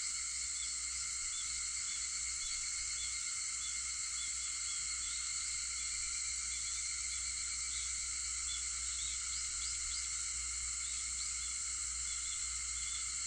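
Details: At 4:50 on an August 4th morning, cicadas keep up a seamless high whining hum of stacked tones, steady in loudness, with a few faint short chirps near the end.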